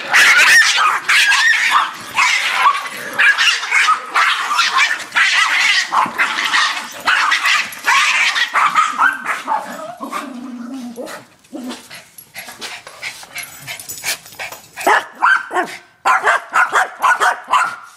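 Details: Yorkshire terriers facing a raccoon bark in rapid, overlapping high-pitched yaps, slowing into scattered yips and a brief low growl midway before the barking resumes.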